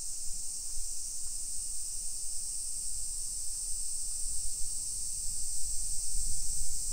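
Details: Cicadas in Japanese summer, recorded at 1 PM on 28 July 2021 while strolling through residential streets in Nisshin city, Aichi Prefecture. Continuous high-pitched buzzing hum, with heavy low rumble of steps and handling.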